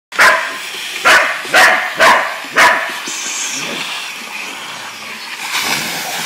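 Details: Shar Pei and Australian Cattle Dog cross named Ruby barking at a running vacuum cleaner she hates and attacks; five sharp loud barks in quick succession over the first three seconds, then steady vacuum drone with a later burst of noise.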